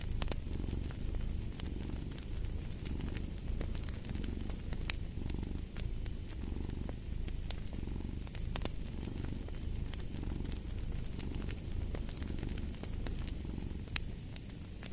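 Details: Steady purring from a cat, a deep rumble that rises and falls in roughly one-second breaths, accompanied by constant fireplace crackles and pops.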